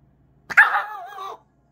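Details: A male Pomeranian born in May 2020, reacting to being given a small treat, lets out one high, drawn-out, whiny bark of just under a second that sags slightly in pitch at the end; the background is otherwise quiet.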